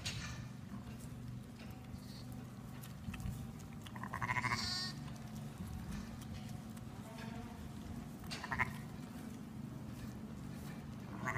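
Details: Newborn lamb, only minutes old, struggling to stand and reach its mother's udder; short harmonic bleats rise near the middle and again near the end over a steady low rumble and soft shuffling noise.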